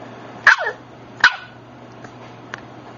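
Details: Scottish Terrier puppy, a girl named Mackenzie from Wheaton, gives two sharp, high yapping barks about three-quarters of a second apart, followed by faint clicks over a low steady hum.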